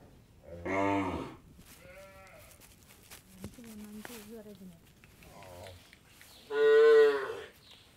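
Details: Cattle on an Indian dairy farm calling in several bursts: a short moo near the start, softer wavering lows in the middle, and a louder full moo toward the end, over quiet farm background.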